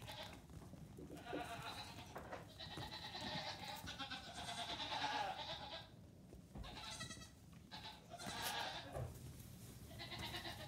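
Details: Nigerian Dwarf goat kids, 3 days to 2 weeks old, let out together on a farm while their mothers eat morning grain; many overlapping high, wavering bleats in near-constant chorus, some long and drawn out, with rustling and movement noise beneath.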